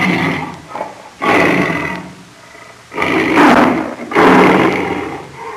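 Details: Lion roar made of three loud, rough, drawn-out bursts about a second apart, strained and throaty, with quieter breathing between.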